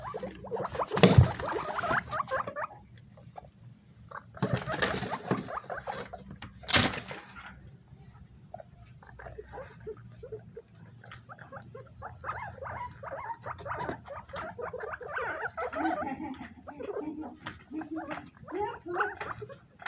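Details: Several guinea pigs scramble and fight over bananas, squeaking and chattering in short bursts over busy rustling and chewing noises; they raise their voices when something approaches, perhaps shy or scared.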